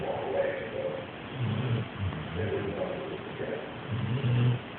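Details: Sleeping female yellow Labrador Retriever gives low, rough snores in a few short bursts. Soft, hushed breathing fills the gaps between them.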